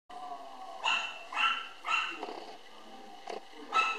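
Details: A lively apricot male Toy Poodle puppy weighing 800 g, filmed July 24, 2013, gives repeated sharp, high, thin yaps about every half second, with faint background noise between them.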